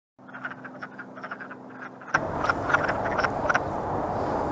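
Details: Wood frogs courting: a dense chorus of short, clucking croaks, several per second and irregularly spaced. A steady low hum runs under the first half, then a louder rushing background noise takes over.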